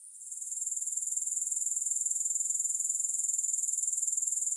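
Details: Grasshopper sound swelling in over the first half-second into a sustained, high, fast-pulsing buzz, with no music or voices.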